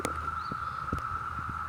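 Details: Massed Brood V cicadas in an Ohio June 2016 chorus, males calling to attract females, make a continuous even whine that holds one pitch throughout, with a few soft knocks and rustles beneath.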